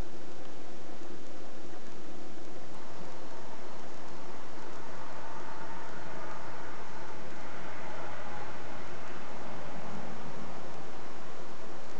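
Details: Steady broadband rushing noise, like distant traffic or wind, with no clear animal calls. No distinct buzzing or calling stands out from the background.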